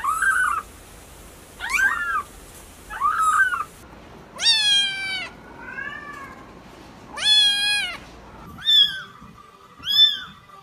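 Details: Pet cat meowing repeatedly, about one call every one to two seconds, the calls varying from short chirpy mews to longer drawn-out meows.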